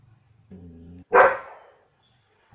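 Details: German Shepherd dog giving one loud, rough bark, preceded by a short low harmonic growl and followed by silence and the start of another sound.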